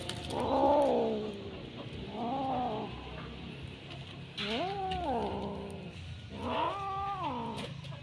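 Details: A Bengal kitten playing with a string, refusing to let it go, gives four drawn-out, wavering meowing growls, each rising and falling, about every two seconds, over a low background rumble.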